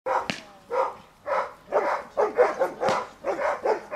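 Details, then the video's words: Giant Schnauzer named Dea vom Wasserschloß barking during protection training. The barks come in loud broadband bursts, roughly one every half second, with irregular spacing and a short sharp click near the start. "Riesenschnauzer Dea vom Wasserschloß - Schutzdienst"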